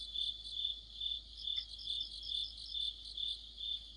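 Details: Crickets with other insects chorusing in deepening autumn beside a streetlamp; clear high chirps pulse steadily about twice each second while fainter, higher chirps from other callers overlap throughout.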